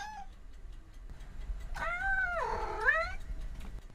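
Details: Domestic cat uttering a wavering, drawn-out meow that dips and rises again in a yowling contour, with a brief faint call beforehand and low indoor rumble beneath.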